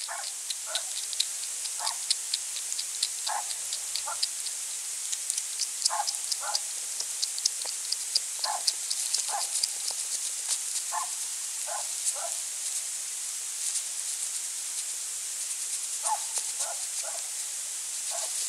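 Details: European hedgehog foraging at night in autumn beside a small pond and wild bird feeder in rural central France, 23 November 2020, eating small slugs; short paired snuffling puffs recur every second or two, with fine clicking and steady background hiss.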